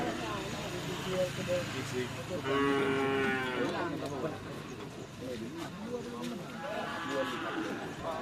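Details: Cattle at bull-race (karapan sapi) training at Asemanis field, Pamekasan; several harmonic lowing moos rise and fall around three and seven seconds over a busy background of crowd chatter and outdoor noise.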